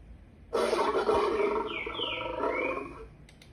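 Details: A lion gives one sustained, rough, broad roar lasting about two and a half seconds, while sliding whistled bird calls sound faintly above it.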